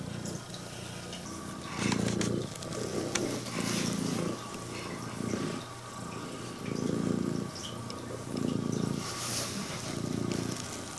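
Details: Purring female Scottish Fold cat with upright ears and red tabby-and-white coat, greeting its owner with a loud engine-like rumble; steady vibrating purr pulses in clear inhale-exhale cycles about every one and a half seconds, with faint handling noise.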